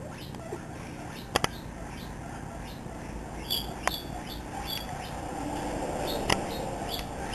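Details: Pet guinea pig Misty, seven weeks old, chatters while running loose in a living room beside another guinea pig, Peanut. Quick repeated squeaks, a few brighter high chirps and scattered sharp taps or clicks.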